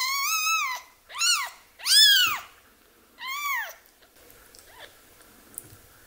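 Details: Orphaned baby kitten being nursed by hand; four rapid loud crying meows in the first four seconds, rich in harmonics, then near quiet with faint soft noises.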